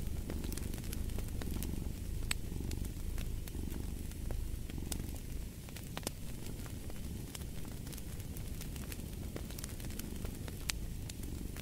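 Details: Cat purring by a crackling fireplace, a continuous low rumble rising and falling with each breath about once a second, overlaid by frequent snapping pops from the fire.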